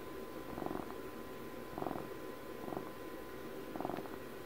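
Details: Steady cat purr recorded around Puppy's 12th birthday, low vibrating rumble swelling in pulses about once per second, each breath cycle audible, with a faint electrical hum underneath in a quiet indoor setting.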